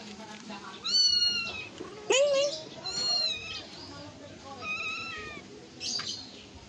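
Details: Young cat during play and feeding: several high, wavering meows in quick succession with a short rising squeak between them, over background music and a person's voice.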